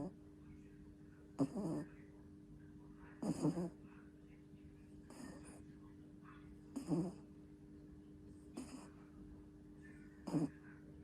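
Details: A two-month-old puppy sleeps and snores loudly. Rasping breath bursts repeat about every 1.7 seconds over a steady low background hum.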